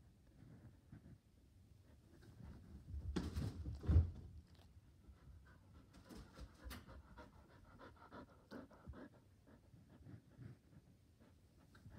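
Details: Indoors on the couch, a Border Collie wanting to play ball pants steadily in soft rapid breaths, broken by a louder burst of movement or huffing around three to four seconds, with faint clicking noises.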